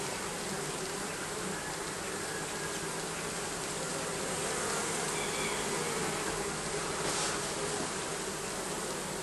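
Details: Bees living under the roofing of a building, a dense steady hum with a low droning tone that holds unbroken for the whole stretch, a broad hiss layered over it and no other clear sounds.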